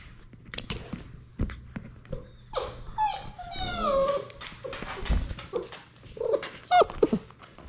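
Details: Six-week-old Labrador Retriever puppies, a litter of six, playing in their romper room; scattered thumps and clicks, then high, wavering whines sliding downward midway, followed by short squeaky yelps near the end.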